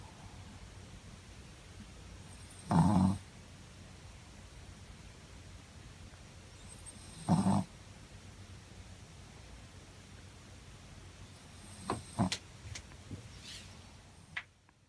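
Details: Muku-chan, a Shih Tzu dozing comfortably, snores in slow rhythm: two loud, grating low snores about four and a half seconds apart, followed by faint clicks and rustles near the end.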